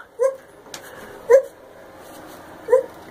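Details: A five-year-old female gibbon calling gives three brief, pure-toned, steady-pitched hoots at uneven intervals of just over a second, with faint room noise between them.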